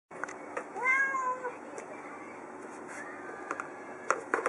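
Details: Pet cat meowing indoors while her owner holds a new box, urging the owner to hurry; one drawn-out tonal meow near the start, then quiet room noise with faint clicks and rustles.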